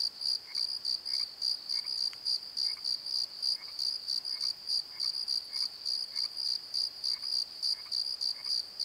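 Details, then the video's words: Crickets singing at night near a tree in a Pozo valley bottom, filmed on a Nikon D7100: steady high pulsed chirping about three bursts a second, over a fainter lower chirp repeating near once a second and a single click. "Crickets and Croaks! Pozo Night Tree - Fade to Dark"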